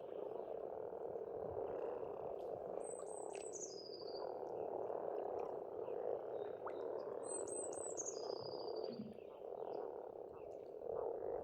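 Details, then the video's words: A spring frog chorus at a pond on an Estonian farmstead: a dense, unbroken mass of low croaking fills the air, while a bird twice gives a high descending whistled phrase overhead. "пение птиц и лягушек"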